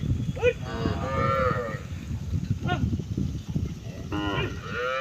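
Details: Several cows together on a road, herd lowing: two bursts of drawn-out harmonic moos, one early and one near the end, with a shorter call between, over low rumbling noise.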